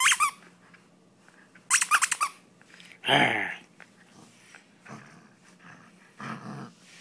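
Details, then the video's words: German Shepherd named Sam playing tug-of-war indoors; a loud harsh growl burst around the middle, with squeaky high yelps before it and softer growling afterwards, all in a small room. "Sam, my German Shepherd playing."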